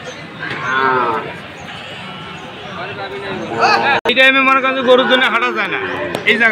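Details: Sahiwal bull calves at a sale in Khulna, Bangladesh, 7 January; a harmonic lowing call wavers early, then after a brief gap a louder, ringing moo carries over crowd voices and market noise.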